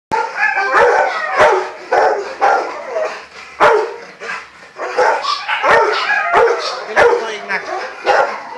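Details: Rottweiler stud dog Geneson barking in rapid, irregular bursts, roughly one and a half barks per second, with sharp percussive clicks and knocks between barks.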